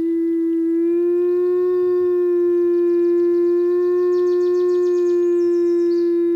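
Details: A wolf in Glacier Bay holds one long, low howl at a nearly steady pitch, rich in overtones.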